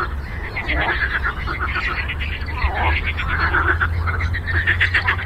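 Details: Frogs on a lake croak in a dense, overlapping chorus of rough, pulsed calls over a low background rumble.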